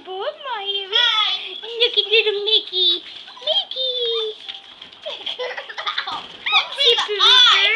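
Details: Five Pomeranian puppies playing on the floor indoors with a person lying among them. They give a dense run of high squeaky whines and yelps, many rising then falling, overlapping almost without pause.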